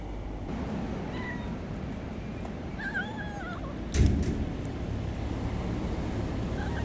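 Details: Hungry homeless kitten, a street cat, meowing constantly while eating: a few short falling meows, one wavering, over low rumbling traffic noise with a bump near the middle.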